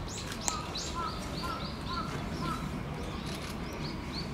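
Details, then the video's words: Giant panda Tan Tan at Oji Zoo, excited by falling snow, standing up and scratching, 19 January 2021; a series of short, arched, squeaky calls repeated about every half second over steady background noise. "タンタン、舞い散る雪に大興奮！？ 立ち上がってガリガリ！ しばらく鳴いていた"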